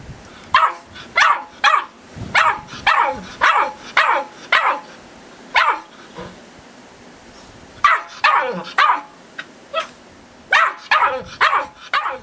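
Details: Young female Irish Terrier, Tara, just eight weeks old, yaps at the camera filming her: rapid, shrill puppy barks, roughly two per second in runs of several, broken by a short pause near the middle.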